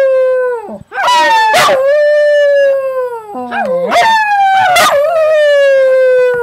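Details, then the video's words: Household dog singing in two drawn-out howls, steady and strongly harmonic, the second starting with a wavering rise and then held level before fading, with brief sharp clicks and a sniff-like break between. "Singing Dog"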